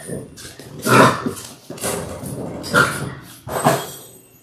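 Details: Six-week-old Labrador Retriever puppies on a live puppy cam, from six pups born January 18, 2022. Four strong, rough growl-bark bursts arrive about a second apart over low background noise.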